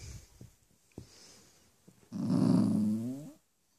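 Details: Four-month-old Cavalier King Charles Spaniel puppy indoors, bad-tempered because he wants bedtime on the furniture rather than his dog bed; soft thumps, then a low, droning grumbly growl lasting over a second with a slight downward slide.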